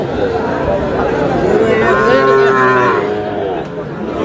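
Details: Sahiwal bull calf bought by a farmer from Sylhet on 11 July: one drawn-out, low, tonal moo swells in the middle and fades, under constant crowd chatter and bargaining voices.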